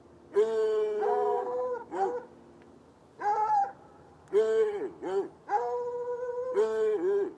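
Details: White hound and dark hound chained outside by a red outbuilding on a Saturday night, across an irrigation ditch; loud, sustained baying notes mixed with quick arched yelps, the two voices overlapping almost continuously.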